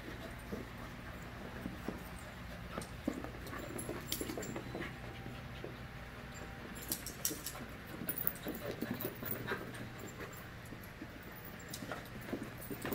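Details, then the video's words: Playful pack of 5-month-old puppies: panting, light whines and rustling tussles come in uneven clusters, busier toward the end, over a constant low-pitched hum. "Puppy Play"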